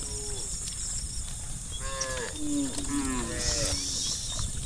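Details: Cows from a large tame herd running downhill to the pen; a few overlapping, falling moos, one deep and drawn out, partly masked by rumbling low noise and high hiss.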